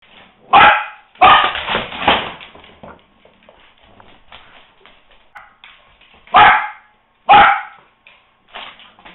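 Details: Dog barking during a game of fetch, recorded September 7, 2010: loud, sharp barks in a quick burst near the start, a rough run of growly barking after, then two more separate barks later.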